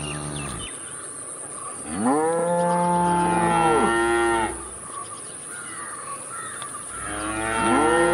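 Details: Cow lowing in sustained moos: the tail of one call, then a long two-second moo rising sharply and holding steady before falling, and another beginning near the end, over a soft background hiss and steady high hum.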